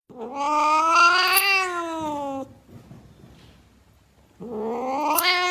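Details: Domestic cat giving two long, loud, drawn-out meows with a harmonic-rich, slightly rising then falling tone, the first lasting over two seconds, a quiet pause between them.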